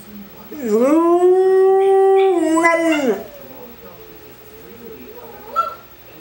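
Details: English Springer Spaniel giving one drawn-out howl that rises, holds level for about two seconds and drops, followed by quiet low murmurs.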